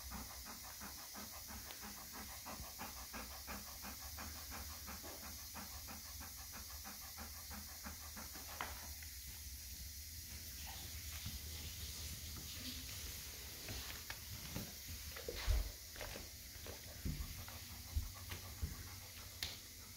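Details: Golden Retriever excitedly anticipating dinner from an automatic feeder: fast regular panting during the first half, then fading into scattered clicks, shuffles and thumps over a steady hissing background.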